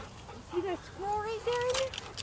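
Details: Dogs searching for a squirrel give thin, whistly whines that rise and hold steady in short strained bursts. A person talks over the last part.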